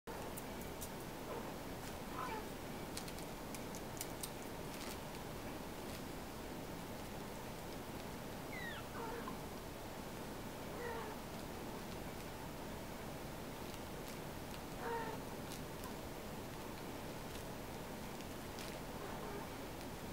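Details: Several kittens being washed by their mother cat, Harmony, give thin, high mews with faint harmonics, about four short calls spread across the stretch, over a steady background hiss with occasional soft clicks.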